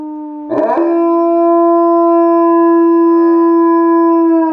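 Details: Yarrow, a pet dog, howls on command while on a couch. A quieter held tone swells abruptly into one loud, sustained, rich howl. The howl keeps a nearly level pitch for about four seconds.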